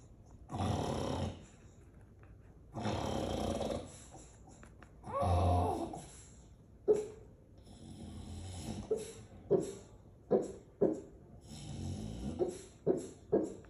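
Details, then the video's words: Female English Bulldog barking in her sleep, recorded December 18, 2022 in Aliso Viejo, California, USA: three long, rumbling snores, then a run of short, muffled woofs and yips coming roughly every second, some in quick pairs. "Sleepy Barks From English Bulldog"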